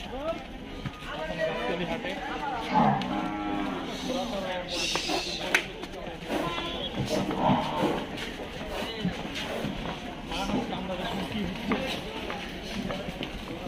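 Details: Water buffalo at the Gabtoli cattle market in Bangladesh, 2022, ahead of Qurbani Eid. Low, drawn-out moaning calls come twice, near the start and the middle, over steady market crowd chatter and background noise.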